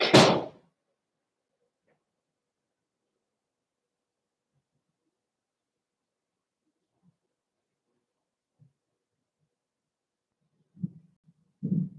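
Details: Mostly silent indoor room with a loud thump at the start and a few soft knocks near the end.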